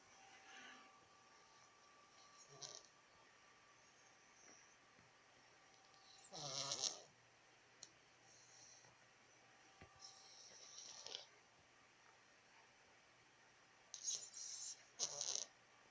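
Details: A cat sleeping soundly snores softly indoors: breathy, hissing snores come in short bursts a few seconds apart, with quiet pauses between them in an otherwise still room.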